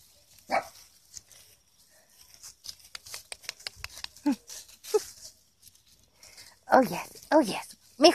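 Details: Havamalt and Chihuahua mix puppies enjoying time outside: a mix of light taps and a woman's talking, ending in a burst of three quick, high-pitched yapping barks in the last two seconds.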